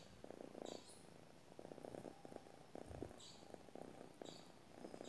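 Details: Domestic cat purring while asleep: soft, grainy rumble in breath-length bursts separated by brief pauses, with thin high chirping calls scattered behind it.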